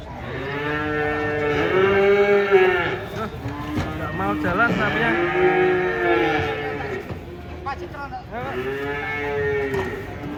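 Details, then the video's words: Cattle coming down off a truck give loud, rich moos, drawn-out arched calls of about two seconds each, three main bellows with shorter grunts between, against a low mechanical hum. "KUMPULAN SAPI LUCU TURUN DARI TRUK"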